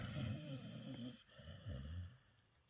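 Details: A sleeping dog snores in two slow, low, rattling breaths with a growly rasp, the second fading away at the end, over a faint steady high hum.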